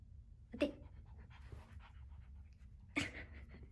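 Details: A female Yorkshire Terrier, born November 2019, excitedly flails while begging for treats, panting and giving two short, sharp yips.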